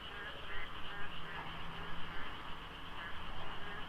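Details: Frogs calling in the dark before dawn during the monsoon rains at the Deokso IC highway interchange, in light fog with little traffic. A dense, overlapping wall of rapid croaks fills the night, with a low rumble beneath.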